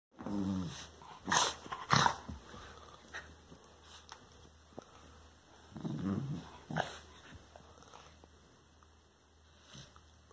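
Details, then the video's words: Wire Fox Terrier grunting while rolling about on a couch indoors: soft, low, throaty grunts and snorting breaths in irregular bursts, with rustling and thumping from the movement in a quiet room. "Drahthaar Foxterrier Grazia grunzt und wälzt sich auf der Couch"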